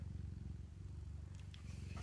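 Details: Mother cat purring as her kittens nurse at the milk bar; deep, even rumbling purr throughout, with light tapping and rustling noises in the second half.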